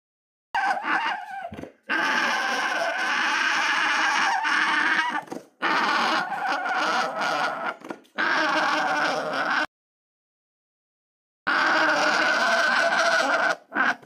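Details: Alpaca giving loud, harsh, screaming cries in long drawn-out bursts of several seconds, separated by short breaks, with one longer silent gap before a final burst.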